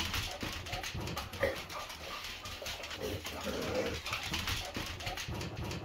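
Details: Shar Pei dog in a new house, giving short, tonal whines and whimpers in irregular bursts, with indoor room noise, rustling and some human voices in the background.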